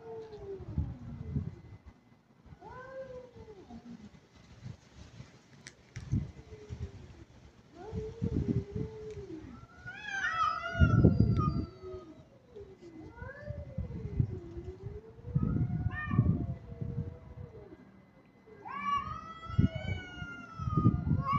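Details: Kitten in an aggressive mood with a string of meows, some short and wavering, others loud, bending and drawn out, over steady low rumbling noise and occasional thumps.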